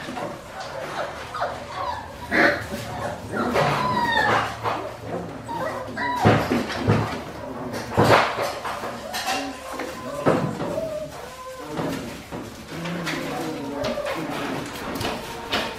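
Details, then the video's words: Australian Shepherd puppies, five weeks old, from Priscilla's litter at a breeding farm in Oklahoma: repeated rising and falling whines and sharp yips, several voices overlapping, with clattering knocks and some human speech. "Priscilla's Puppies age 5 weeks"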